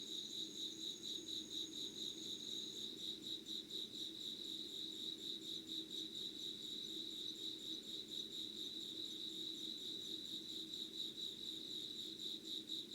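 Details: Early-morning insect chorus at 5 a.m., 25 August 2019, Yugawara town, Kanagawa, Japan: continuous high pulsing trills. A thin, very high whine fades out after about three seconds, and a low, gentle hum runs beneath throughout.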